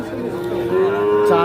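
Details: Young calf at the Ambari livestock market giving a loud, steady, tonal moo that holds level and swells toward the end, over faint market voices.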